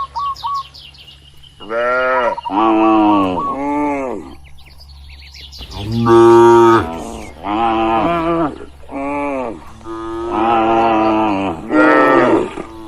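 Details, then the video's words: Tame cattle in a farm barn giving a series of loud moos, each a few seconds long, arching in pitch and coming in irregular bursts, with a low steady hum underneath. "Suara Sapi Lembu Lucu di Kandang Peternakan | Moo Moo Menggemaskan"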